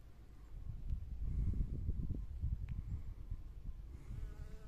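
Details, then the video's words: Honey bees working among spring flowers, a low, steady buzzing hum that swells and fades over a few seconds, with faint higher tones toward the end. "봄꽃속에서 일하는 꿀벌"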